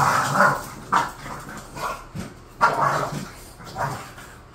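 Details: Bored pet bulldogs Khan and Ali trade short, sharp yips and low barks, about five clipped bursts spread across a few seconds, some ending in a whimpering edge.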